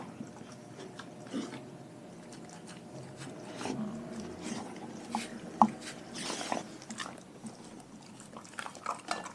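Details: Dog eating raw food indoors, slower and softer: occasional crunching bites and moist chewing separated by quieter gaps, with one sharp crack midway.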